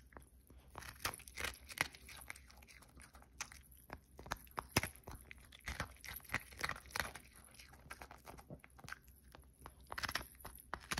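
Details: Pomeranian named Cookie chewing food in a small indoor room; steady crunchy bites and crackling chews follow one another irregularly, with a few louder sharp snaps between quieter munching.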